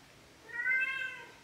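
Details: Male pet cat that talks back whenever spoken to, giving one clear drawn-out meow that rises slightly and then falls, lasting almost a second, in a quiet room.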